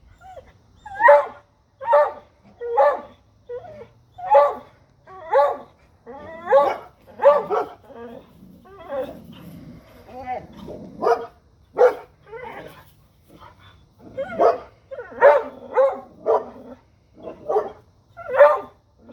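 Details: Dogs barking at a deer: a steady run of sharp, loud barks, roughly one or two per second for nearly twenty seconds, with short pauses and a few quieter yips.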